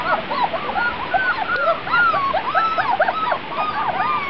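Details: Grand Basset Griffon Vendéen puppies on their first trip outside, 23 June 2009, produce many thin arching whines and squeaky yelps, rising then falling, overlapping throughout.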